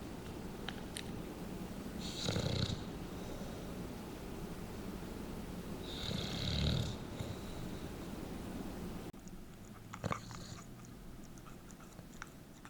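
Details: A sleeping pet bulldog named Densuke, prone to face twitching and sleep-talking, gives two low rasping snores about four seconds apart. Each is a short throaty burst over quiet breathing in a small room.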